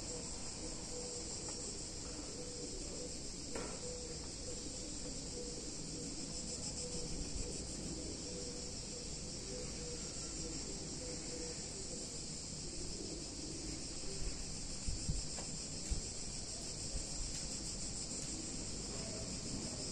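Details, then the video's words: Cicadas singing on a hot summer day in a picturesque Italian town: a dense, continuous high buzzing drone with a faint pulsing texture, steady throughout, over a low background rumble of distant town noise. "Cicadas In Warm Summer Day In Italian Town"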